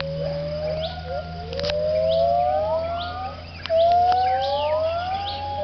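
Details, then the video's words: Gibbons at a Thai wildlife rescue centre giving their dawn chorus at sunrise around 6am. Long, clear, whistled notes glide upward and overlap between several voices, over a steady low hum. "The dawn chorus of the gibbons"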